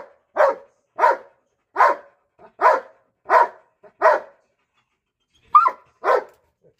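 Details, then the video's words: Barking at a cat, a Belgian Malinois gives a run of six evenly spaced, punchy barks about every half second, pauses, then adds two more. "BELGAIN Barking the Cat"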